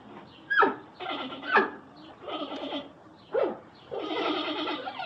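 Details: Panda bear with sharp descending yelps alternating with longer, rough, bleating calls, about one a second.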